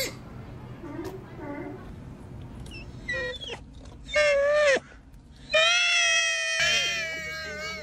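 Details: Young sea otter pup calling insistently: a few faint cries, then loud squealing wails with rich overtones, one long drawn-out cry sliding slightly downward near the end, over a low steady hum.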